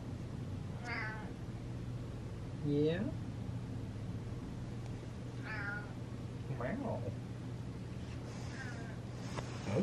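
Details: Happy domestic cat meowing indoors: several short harmonic meows, some rising then falling, spaced a couple of seconds apart, with a person talking softly and a steady low hum behind.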